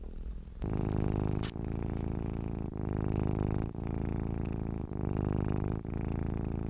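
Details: After a short near-silent start, a cat begins a rich rumbling purr with a single sharp click, then keeps purring in even breath-paced waves about a second long.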